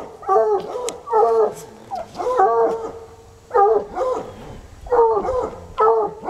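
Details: Two untrained coonhounds named Sunny and Hazard baying outdoors for hours, their instinct to alert showing; strong harmonic bays in bursts about every second or so, two voices overlapping.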